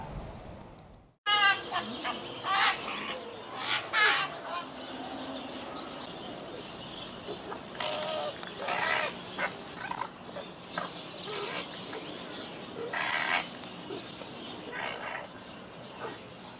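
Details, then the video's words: Arctic fox screaming: harsh, raspy, broadband cries in short bursts, starting after a brief silence and recurring irregularly, some with a stuttering, rapid pulsed texture. "Arctic fox sounds, arctic fox scream"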